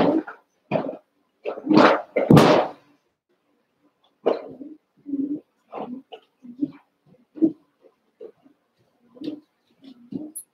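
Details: Cavalier King Charles Spaniel puppies, about one month old, wrestling and playing together in a pen. Eight puppies share it. A rapid, irregular run of short growls, yaps and grunting barks, loud bursts at first, then softer broken growling.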